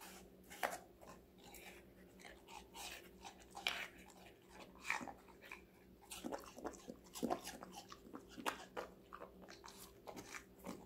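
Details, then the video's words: Connie, a five-month-old female Golden Retriever, eats vegetables indoors, with crisp crunching bites and chewing repeated irregularly through the clip against a faint steady hum. "강아지 각종야채 먹방 l 사각사각사운드 🌿Various vegetavles🌿REAL SOUND"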